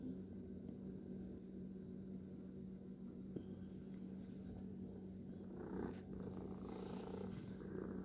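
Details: Pet cat purring indoors: a steady, low, soft rumble continues through the whole stretch under a faint constant hum, with light rustles and brief scratchy noises near the end.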